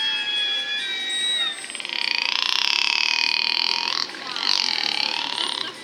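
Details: Captive killer whales at SeaWorld San Diego, 7 December 2015 afternoon show, give bright, harmonic squeals that bend up and down in long drawn-out phrases; each pod has its own dialect of calls.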